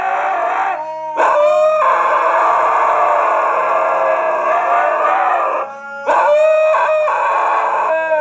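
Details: Two huskies in Canada howling along to a piano: long sustained wavering howls layered together, with a brief break near the middle then rising again, steady and loud throughout, piano tones mixed in.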